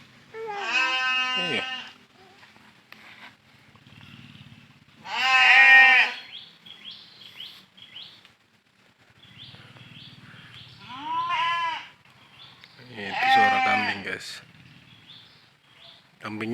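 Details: Goats in a village give loud, quavering bleats every few seconds, hungry while waiting to be taken out to graze around half past three.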